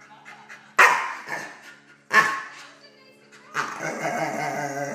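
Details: Prince, a dog aged 10.5 months, reacts to an intruder in his kennel with two sharp, sudden barks a little over a second apart, followed by a sustained tonal background sound resembling music or voices.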